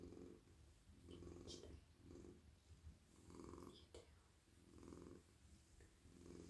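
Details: Friendly, very soft domestic cat purring while stroked on the head, neck and body, melting in a lap: low rumbling purr in steady pulses roughly every second, with soft rustling and brushing strokes over it.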